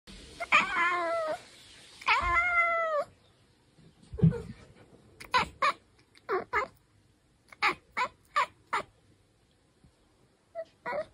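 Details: Bengal cat chirping and chattering indoors: two drawn-out, wavering meow-like cries, then bursts of short, clipped chirps in quick succession.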